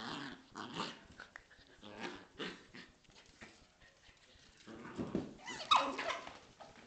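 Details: A Corgi and a Scottish Terrier playing together: rough, throaty growls and snarling bursts in short irregular bouts, a quieter stretch in the middle, then a louder flurry of growls and a sharp yelp-like note near the end.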